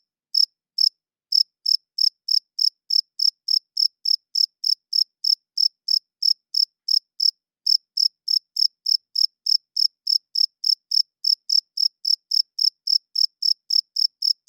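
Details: Crickets chirping loudly at night, a long, even series of bright high-pitched pulses about three per second after a short hesitant start, against complete quiet.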